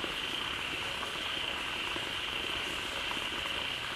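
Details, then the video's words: A crowd of frogs gathered in a pond, calling loudly just after water from a waterfall began flowing in; a dense, unbroken chorus of overlapping high, rasping trills forms a steady wall of sound with no pauses. "เสียงฝูงกบร้องดีใจได้น้ำ Relaxing Sounds of Frogs"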